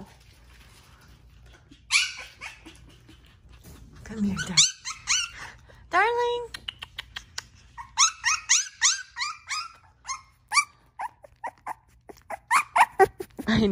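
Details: Tiny newborn black Shiba Inu puppy, a first-born male, making bursts of short, high squealing yips that come faster and more regularly toward the end, with some human voices indoors.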